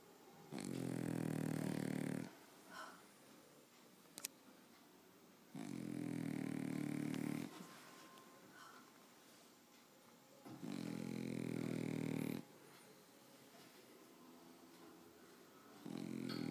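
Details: Pet French Bulldog snoring indoors: low, rumbling snores with a raspy upper edge, each lasting about one and a half to two seconds and returning roughly every five seconds, with quiet pauses between breaths.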